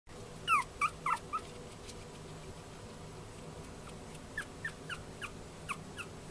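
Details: Male Chihuahua puppy born 14 February 2013, at a pet shop in Yokosuka, Kanagawa, Japan: a few loud, high, downward-sliding whimpers early on, then softer, fainter yelps spaced through the rest, over a steady indoor hum.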